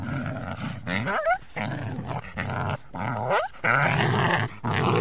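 Harsh, throaty growling comes from a coyote in several separate bursts. Between them, brief whining yelps slide quickly upward in pitch, giving the sequence a tense, agitated sound.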